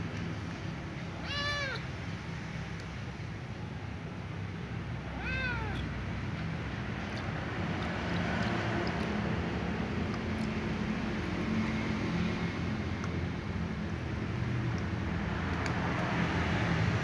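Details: Little ginger cat meowing as water is poured for her to drink: two short, arching meows about four seconds apart near the start, then a steady rushing hiss of pouring water fills the rest.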